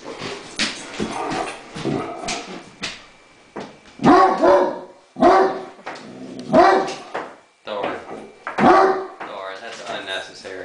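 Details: Great Dane, a pet dog, barking indoors at a remote control helicopter that need not even be flying; loud deep barks in bursts about every two seconds, mixed with a person speaking calmly to settle it.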